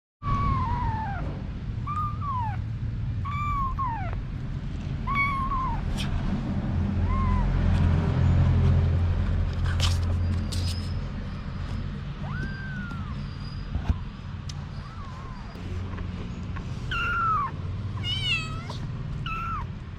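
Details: Mother cat Anna with her kittens, several high, thin meows arching downward in scattered bursts, some quick clustered squeaks near the end, over a steady low rumble of traffic-like background noise.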